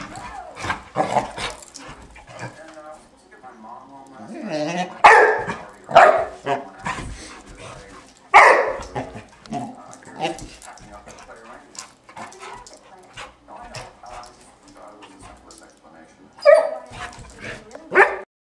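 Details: Female Great Dane puppy, four months old, waging play war on her hair brush: loud single barks at scattered intervals, with low growly vocal sounds and human voices between them.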